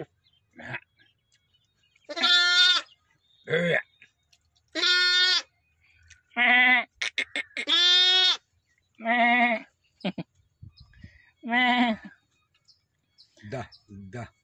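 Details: Newborn lambs, about one day old, at a village farm: a series of loud harmonic bleats, some wavering, others nasal and strained, separated by pauses of about one to two seconds, with faint clicks and shuffling between calls.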